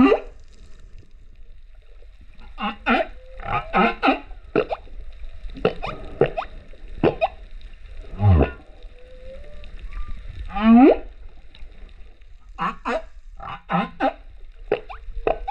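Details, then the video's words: Underwater humpback whale song off Rurutu, 28 September 2024, from a singing male filmed with a GoPro: rapid series of short rising cries and squeaks, a few low groans and a brief upward whoop, with quiet water noise between. "Humpback Whale singer"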